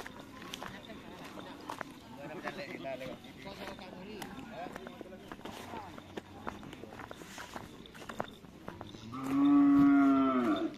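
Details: Cattle at a karapan sapi bull race training session on the Asemanis field in Pamekasan; after a stretch of crowd murmur and clatter, one loud, steady low moo lasting over a second sounds at the end.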